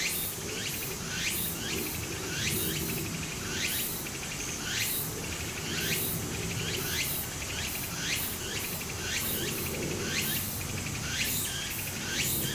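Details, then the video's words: Summer cicada chorus by a small Japanese stream. Quick upward-sweeping calls recur roughly once a second over a bright continuous high drone, with running water murmuring low throughout. "小川の流れと蝉の声 自然音 ～夏～ Japan Sound of nature Cicada's voice"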